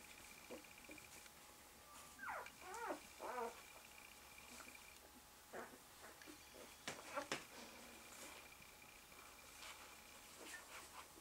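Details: One-day-old Malamute/Husky pups with their mother indoors; a burst of high, wavering squeals rising and falling, then scattered short squeaks and snuffling, over a faint steady hum.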